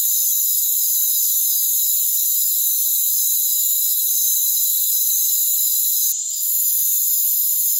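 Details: Crickets in a rainforest produce a steady, shrill, unbroken chorus of high trills, interrupted only by a short dip with a faint click near six seconds.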